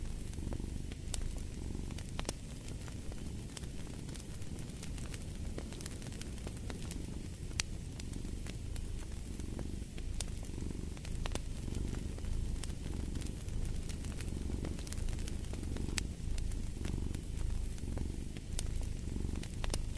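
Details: Steady, low cat purr pulsing in regular breath-like cycles over twenty seconds, layered with continual crackling and occasional louder pops from a fire in the hearth.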